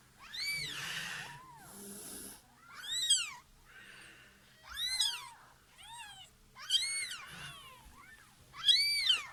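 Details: After the birth, a house cat with her newborn kittens gives about six loud, high, arching meows roughly every one and a half seconds, and a man talks quietly between them indoors.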